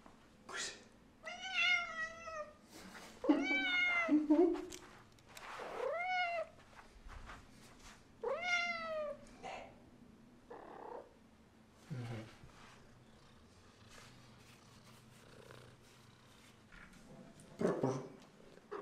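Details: Heliana the cat greeting her owner arriving home from work with a run of loud, drawn-out meows rising then falling, several in close succession, followed by quieter chirps and soft human speech indoors.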